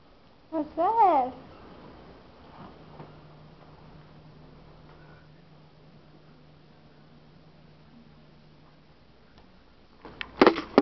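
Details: Two house cats, Shilo and Sasha, fighting playfully on catnip indoors: a short wavering meow near the start, a long low hum, then a brief burst of scuffling noise at the end.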